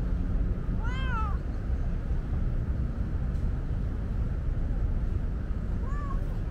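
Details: Thirsty female tabby cat on a hot day, talkative and asking for a drink; a clear arched meow near the start and a shorter softer meow near the end, over constant low rumbling background noise.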